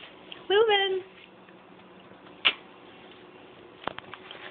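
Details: House cat uttering one short rolled "Rrrrr?" trill that rises and then levels off, followed by a sharp click and a couple of faint knocks in a quiet room.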